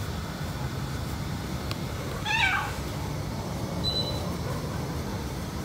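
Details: A jealous white cat meows while its owner pets a black cat: a single short, nasal meow with stacked harmonics that bends downward. A faint high tone follows later over a steady low household hum.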